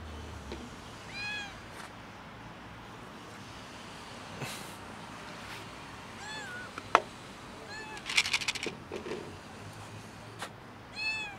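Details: Cat on a roof meowing for help to get down: several short arched harmonic meows spread through the clip, with clicks, rustling and background noise around them.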